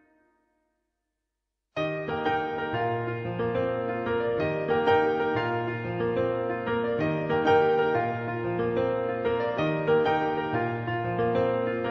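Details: Silence gives way to steady electric piano music, with no animal voice present.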